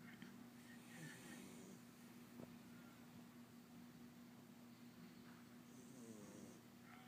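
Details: Awake house cat named April making snoring sounds: a drawn-out raspy breath near the start and another about five seconds later, each a hissy rushing noise, with a constant low hum underneath.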